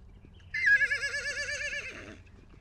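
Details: Wild horse at the Salt River in Arizona, a foal separated from its mother, recorded with a long-range microphone: one loud tremulous whinny of about one and a half seconds, wavering and falling at the end, over faint low background rumble.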